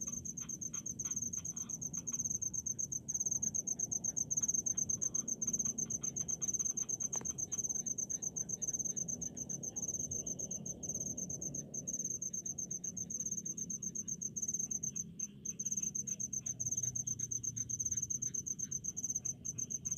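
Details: A rice-field cricket chorus forms a continuous high, ringing trill with rapid ticking pulses over a low rumbling background. Near the middle, one brief sharp click stands out.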